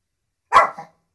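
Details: Dog barking at drums, giving a single short, sharp bark with a brief trailing tail.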